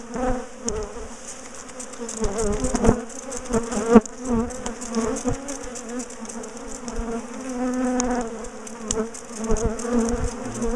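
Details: Honeybee colony in a top bar hive, known for ambushing and chasing its owners, being split and moved; a dense, wavering buzz of many bees fills the clip, with sharp knocks and clicks from the hive being handled.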